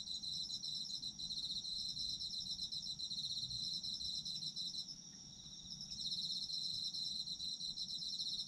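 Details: Autumn insects calling together, meant for sleep listening: layered shrill trills and fast pulsed chirps holding steady, dropping in intensity for about a second before the full chorus returns; faint low ambient noise.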